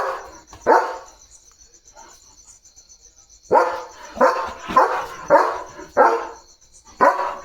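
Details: Leo, a German Shepherd, on night duty at the gate, fully alert: a single loud bark, a pause, then six deep, rough barks about every half to one second, over a steady high-pitched drone in the background.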